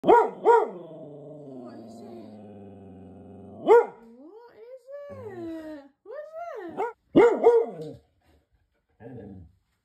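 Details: Vizsla losing it: sharp barks in quick pairs, a long droning whine, then wavering rising-and-falling howling yowls and another burst of paired barks, ending in short low grumbles.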